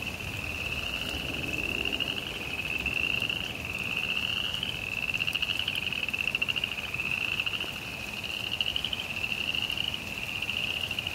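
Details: Frogs calling during rain in a suburban backyard: a continuous high, buzzy trill that swells and eases in phrases of one to two seconds, over soft rain patter and low rumble.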